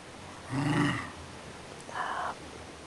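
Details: Scottish Terrier named Duffy begging for breakfast, giving a low, harmonic grumbling moan followed after a short pause by a briefer, higher-pitched whine, with a quiet room in the background.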